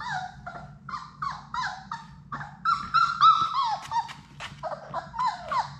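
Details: Sadie's six Labrador Retriever puppies in their indoor play room, playing together: a run of short whining yips and whimpers, some downward-sliding, several each second, with a low hum underneath and brief rustling.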